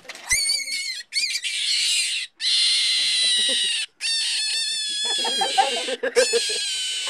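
Shrill, high screams from domestic rabbits come in sustained bursts separated by brief silences. These are distress cries from nervous rabbits unused to handling rather than from pain, with some lower, softer sounds near the end.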